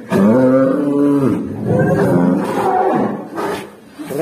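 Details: Black cow giving an odd, strained moo: a loud, rich harmonic call held for over a second, then a second wavering, falling call and a fainter third, sounding almost like a roar in a small space.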